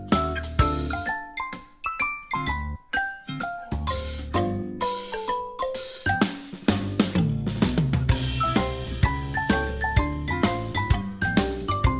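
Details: Upbeat music with a steady drum kit beat, snare and bass drum, and bright bell-like melody notes, with no animal voice heard.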